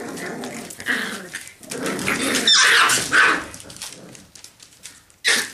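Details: Seven-week-old Parson Russell Terrier puppies at play, giving short high yapping barks mixed with rough growls in quick irregular bursts, with a sharp final yelp and scuffling in between.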